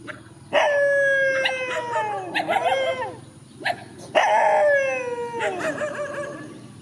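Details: Two countryside dogs square off in a field, letting out two long, drawn-out howls, each starting with a sharp onset and sliding slowly downward in pitch, rich and harmonic, separated by a short pause with a few yips.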